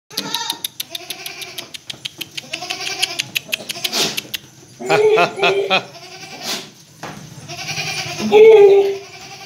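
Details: Breeding buck goat for sale at a goat farm in Delua, Paschim Medinipur, West Bengal, India: wavering, pulsed bleats repeated several times over about nine seconds, with rapid clicking early on and people talking nearby.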